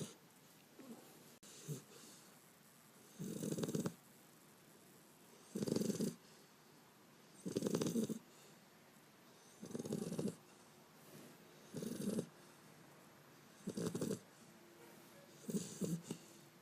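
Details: Sleeping Beagle puppy named Bender snores steadily, recorded 5 February 2012. About eight harsh, buzzy inhalations arrive roughly every two seconds, separated by near-silent pauses and a faint thud near the start.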